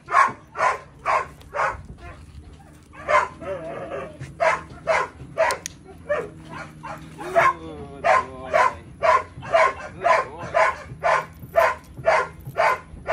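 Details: Belgian Malinois Psycho barking persistently, loud regular barks about two per second across the whole stretch, with a short pause and a faint whine and human voice near the middle.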